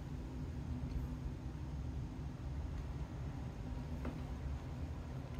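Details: Low, steady rumble like passing traffic or a train fills the recording, with a faint click near the fourth second and no meow or other animal voice.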